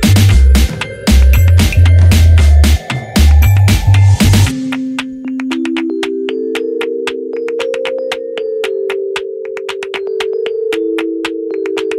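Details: Electronic music with heavy drum-machine beats and a rising synth sweep, which gives way after four seconds to sustained stepped synth tones over sharp rhythmic clicks; no animal voices.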